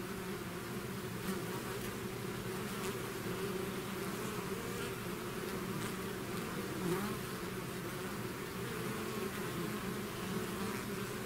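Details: Steady natural drone of a bee swarm leaving its hive, many wings blending into a level low hum with soft higher hiss, unbroken for the whole stretch.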